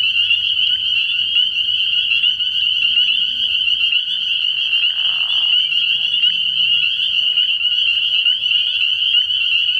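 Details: Early-spring night chorus of spring peepers at a frog pond. Countless shrill peeps merge into a steady high ringing wall of sound, with a short lower smear around five seconds and soft low rumbling throughout.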